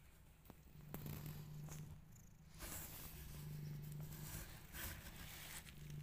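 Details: Growing rescue kittens, described as fighting with each other, give a steady low rumbling purr that runs through the clip in long droning stretches with brief breaks, under soft rustling and handling noises.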